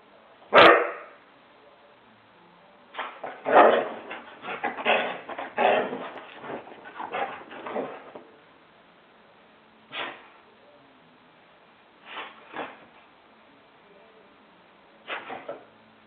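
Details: Husky left home alone during a bout of zoomies: one sharp loud bark, then a rapid cluster of yelping barks, followed by isolated single barks spaced a few seconds apart.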